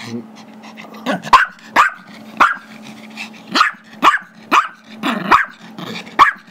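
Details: Five-year-old Chihuahua/Yorkie mix dog indoors, barking because he wants a squeaky toy held by a younger Yorkie during play: sharp high barks in a steady run, about eight in six seconds, with a low growling hum between them.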